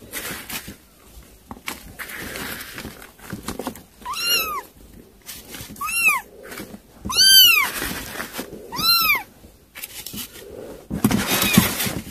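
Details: Kittens eating weaning food indoors. Four clear, high-pitched arched mews come one after another, each rising then falling, about every one and a half seconds, with soft rustling and chewing noises between them.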